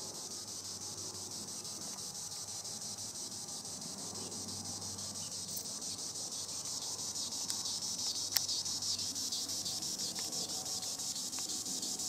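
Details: Treetop song of a green annual cicada, Tibicen linnei: a continuous shrill, high-pitched drone with subtle regular pulsing, growing slightly louder, with a few sharp clicks and faint low hum beneath.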